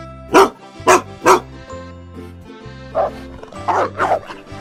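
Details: A Neapolitan Mastiff, a giant dog breed of Italian origin, gives three loud, full-throated barks, then three softer ones, over background music.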